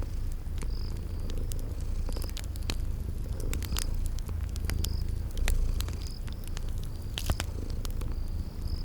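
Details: Sleeping kitties purring beside a crackling fireplace in a spring garden ambience: a steady low rumbling purr runs throughout, with sharp fire crackles and short high chirps recurring about every second.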